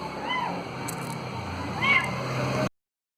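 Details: Cat playing with a ball gives two rising-then-falling meows, the first short and the second longer and louder about a second and a half later, over a steady background hum.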